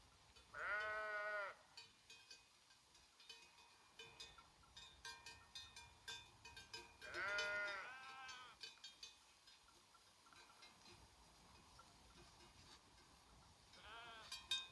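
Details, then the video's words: Grazing sheep herd in Romania's Făgăraș Mountains; loud quavering bleats at about one, seven and fourteen seconds, each lasting under a second, over a steady tinkle of animal bells. "the sound of sheep herding in Făgăraș Mountains"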